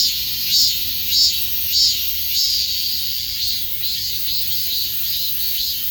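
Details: Cicadas fill the air with a dense, high-pitched buzzing drone that swells in rhythmic pulses about every half second to start, then settles into a steadier shimmering whine with no other clear sounds.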